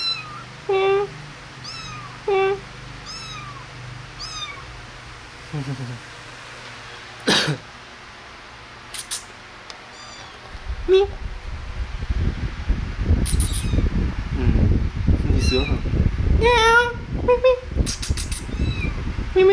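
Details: Kittens playing and feeding: several short, high, bent meows come early. Then loud low rumbling and handling noise takes over, and further meows break through near the end.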